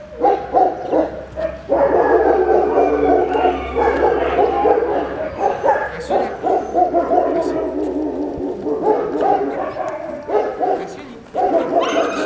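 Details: Siberian Husky puppies playing together give a run of high yips, short barks and whiny squeals, overlapping and irregular, with bursts of louder yelping near the start and end.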